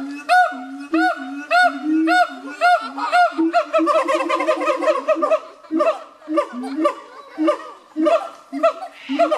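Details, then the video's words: Siamang gibbons, recorded in 2015, in a loud calling bout: rapid arched whooping notes repeated nearly twice a second, growing into a dense overlapping chorus of rising and falling barks. "Siamang Gibbons"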